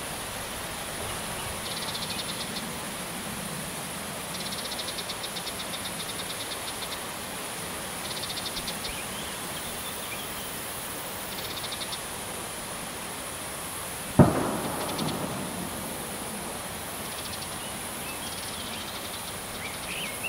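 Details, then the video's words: Two male Large marsh grasshoppers (Stethophyma grossum) in the Vendée give short runs of sharp, dry, low-frequency ticks every few seconds, made by flicking out a hind leg and snapping it shut, not by stridulation. "Large Marsh Grasshoppers Stethophyma grossum 'ticking', Vendee"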